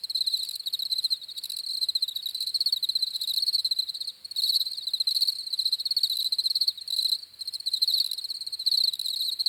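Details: Crickets chirping in a steady, continuous chorus of rapid high pulsed trills, overlapping callers forming a dense shimmering wall of sound with slight rhythmic swells, with no other sounds.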